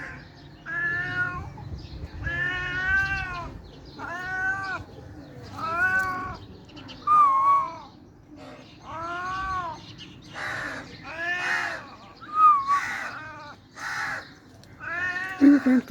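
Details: A cute pet cat yawning and meowing: about a dozen drawn-out, tonal meows, each rising and falling, spaced roughly a second apart over a low background hum.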